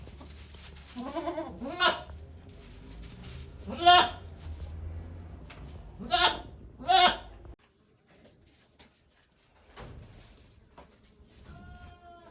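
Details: Goat named Okayu at Yoshigake farm in Japan, giving birth to two kids on 3 May 2023 while volunteers watch; four loud harmonic bleats in the first seven seconds, then quieter sounds and a faint high call near the end.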